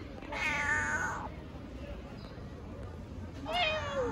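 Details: Newborn tiny kittens in Istanbul looking for their mother cat: two high, thin falling mews about three seconds apart over steady outdoor background noise.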